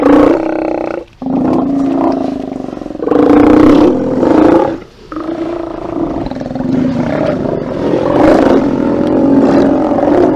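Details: Group of Steller sea lions at their haulout, 24 September 2018, picked up by a live cam: loud, overlapping harmonic roars and groans in long bouts, broken by two brief pauses, with several animals calling at once.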